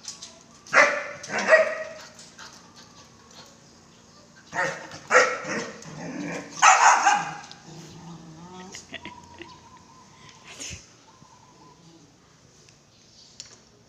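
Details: Belgian Malinois barking in three short bursts, each a cluster of two or three sharp, harsh barks spaced a few seconds apart, followed by quieter stretches with faint background sounds.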